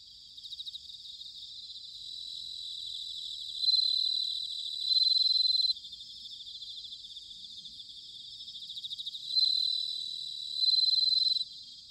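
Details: Singing bell crickets, Sanuki, Chiba Prefecture, Japan, autumn. High tinkling trills rise into loud ringing bursts of roughly a second, repeated in pairs twice, each ending sharply, against a constant shimmering insect chorus.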